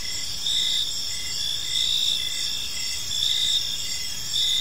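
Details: Evening crickets in a calm park, many chirping at once: a bright continuous high trill with louder pulsed notes swelling and fading in short regular bursts.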